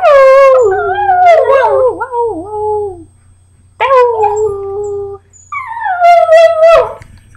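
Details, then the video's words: Pet dog singing along with its owner on a holiday weekend at home, drawn-out wavering howls rising and falling in three long phrases with short breaks, strong harmonics, faint low hum underneath. "My Dog can sing better than yo"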